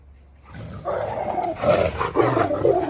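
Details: Angry dog squaring off against a dogo argentino: after a quiet start, a continuous harsh, rough snarling growl sets in and swells in bursts, staying low and throaty through the end.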